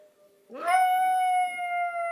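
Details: Hershey, a pet Yorkshire Terrier, howls in response to the tornado siren warning sounded on the 1st of every month. A faint, low siren tone gives way to a loud, clear howl that swoops upward and then holds a steady, ringing pitch.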